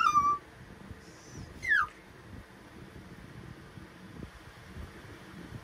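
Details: Two short whines from the chatty Pomapoo puppy Ember: a brief level high note, then a quick downward-swooping cry, followed by several seconds of faint indoor background.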